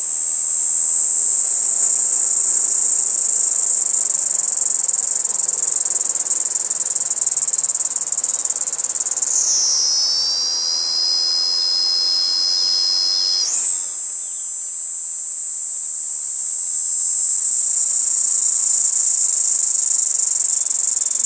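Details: A Kaempfer cicada perched on a cherry tree sings a steady, very high, hissing drone that briefly drops lower before rising again.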